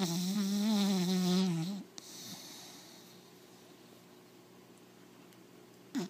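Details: A four-month-old American Pit Bull Terrier puppy snores right in its owner's face: one loud, buzzy, wavering snore lasting nearly two seconds, then soft breathing and a brief snort at the end.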